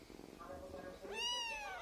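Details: Tiny Siamese kitten answering a person talking to it indoors: after soft background murmur, one clear rising-then-falling meow, bright and high, lasting about half a second.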